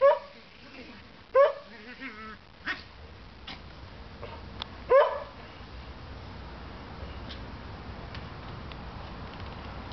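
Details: Pet dogs giving a few loud, spaced barks and yips in the first five seconds, then only quiet room noise.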